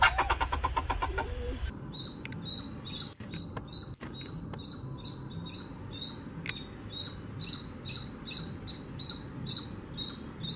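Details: Squirrel calling with short, high, sharp chirps repeated at a steady pace of about two per second, each a quick squeaky note, over a constant low hiss, with a brief burst of other sound at the start.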